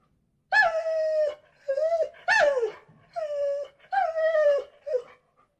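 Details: Dog whining in a series of six high, tonal whimpers, each about half a second long, slightly falling at the end, with short silent gaps between them and no other sounds.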